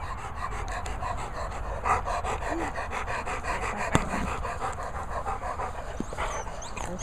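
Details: An elderly Labrador Retriever, described as a pensioner feeling his age, pants in a steady, rapid rhythm of soft breathy puffs throughout, with a person speaking quietly in the background.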